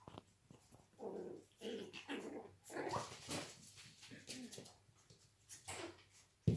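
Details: Yorkshire Terrier puppies from a registered breeding kennel in Austria fighting indoors: rough, low growling bursts come in quick succession, mixed with brief whimpers and scuffling noises.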